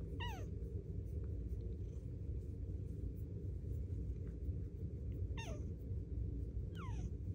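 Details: A Bengal cat snuggled in a closet on a very cold day purrs in a steady low rumble, broken by a few short, falling meows.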